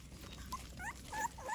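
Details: American Pit Bull Terrier puppies at morning feeding time, eating from a bowl: a few thin, high whining whimpers that bend up and down, with soft background rustle.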